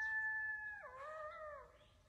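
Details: Coyote howling near a deer stand in the woods at dusk: a steady high howl that drops abruptly, then wavers and slides down before fading out.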